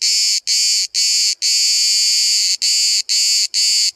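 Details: Cicada singing from 5 cm away in Bodrum, Turkey, amid a daylong chorus of hundreds: piercing high buzz in pulses, one stretched into a long unbroken drone of over a second before the regular rhythm resumes.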